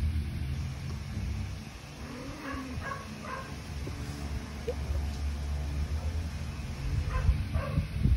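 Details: A domestic cat purrs in a low, steady rumble while getting a belly rub, with a few faint higher sounds over it.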